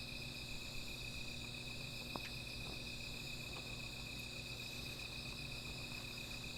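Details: Insects calling at night beside a small fire: a steady, unbroken high-pitched trill hangs over the scene, with a fainter shimmering band above it and a few sharp crackles and pops from the fire.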